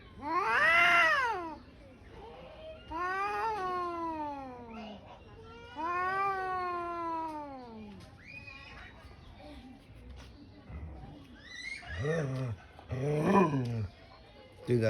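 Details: Angry cat after a scuffle between two cats: long drawn-out yowls rising and falling, three in the first eight seconds, then shorter harsh growling wails, with a person speaking softly in between.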